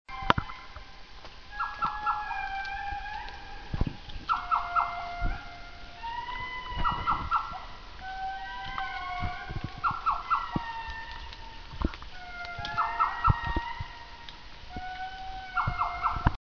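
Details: Indri (Indri indri) song in the forest in the morning: long, wailing, tonal notes and bursts of quick pulsed calls, repeated in phrases.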